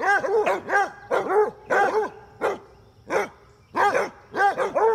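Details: Basset hounds at play, with several females chasing one male, give rapid, throaty barks in pairs and clusters, about one and a half per second. The barks are harmonic and bell-like, with a short quiet break in the middle.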